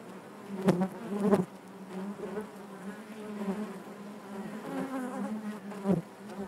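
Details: Honey bees buzzing inside their hive: a steady, dense low hum with stacked harmonic bands, swelling with two louder close passes near the start and another near the end.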